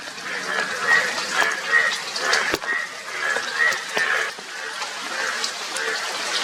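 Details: Indian yellow bullfrogs, the yellow frogs with blue cheeks, give loud nasal honks in pulsing bursts about every half second to second. Their voices rise and fall over a watery, hissing background.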